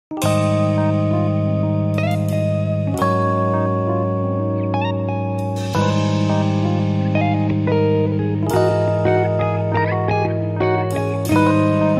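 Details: Only loud guitar-led instrumental music fills the recording, with no insect or other animal sound heard.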